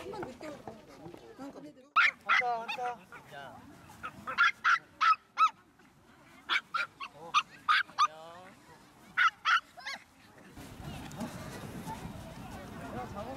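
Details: Maltese dogs, eager before a walk outdoors: clusters of short, high, sharp barks in quick runs of two to four, with whining between bursts and a steady rushing noise at the end.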